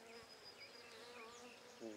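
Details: A hive of Buckfast honey bees, opened during a brood inspection on 23 May 2009 while bees are eased back in, gives a continuous even humming drone, with a sharper buzz swelling at the very end.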